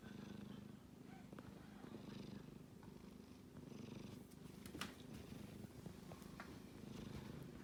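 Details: Low grainy rumble from a kitten snoring in its sleep, continuous with gentle swells at each breath, a few faint clicks and soft rustles in the background.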